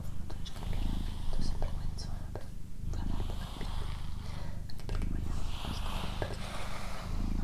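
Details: Female house cat named Doroti purring, a deep, even rumble pulsing in regular waves throughout, accompanied by gentle whispering and faint rustles close by.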